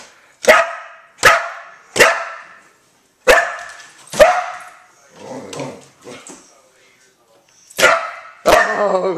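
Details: Four-year-old female Border Collie named Jalapeno, called Hally, barking indoors at flickers of light she chases; sharp barks come in bursts, about six clear ones, with spoken encouragement and rustling between them.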